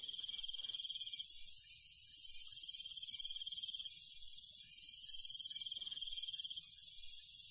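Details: Night insect chorus in the countryside, crickets giving high trilled bursts about a second long, separated by pauses of a couple of seconds, over a constant shrill hum from other insects.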